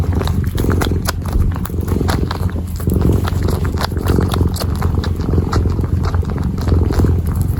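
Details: Low pulsing purr from a kitten while it kneads, the rumble coming in repeated swells, overlaid by frequent crisp scratching and clicking sounds from the kneading.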